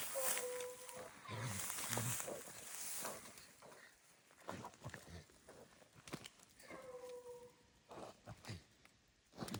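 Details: Hunting dogs on a raccoon hunt give long, drawn-out baying howls with rich overtones near the start and again around seven seconds, separated by scattered clatter and rustling outdoor noise.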